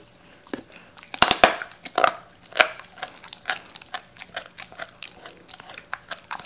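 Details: Doberman named Cola eating whole raw chicken indoors, wary at first; loud crunching bites cluster early, then irregular smaller chewing clicks and crunches continue through the rest.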